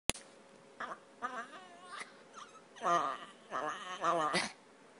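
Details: Pet dog named Snickers, described as spoiled, whining at a bedroom door while begging for food; a few short, high, wavering whines in separate bursts, the last two longer and louder, in a quiet indoor room.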